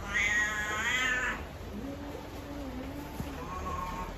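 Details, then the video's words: Ugly-voiced house cat letting out one long, strained, wavering meow that slides slightly downward, followed by quieter, low, drawn-out tones and faint room noise. "Kucing si suara jelek"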